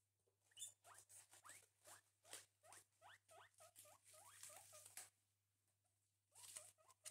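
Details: Two pet guinea pigs eating breakfast give a run of short, rising squeaks, about two per second, with brief pauses and faint rustling and patter of feeding between them.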